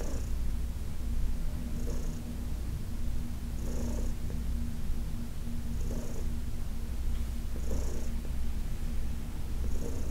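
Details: Heidi, an elderly shelter-adopted cat, purrs under massage: an even, low rumble carrying on without pause, punctuated by airy breath bursts at regular two-second intervals.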